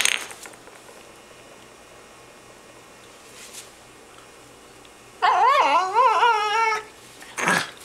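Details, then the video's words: Female puppy making funny noises: after a quiet stretch, a sustained wavering whine of about a second and a half rises and falls with rich harmonics, then a brief breathy snort. "funny puppy noises"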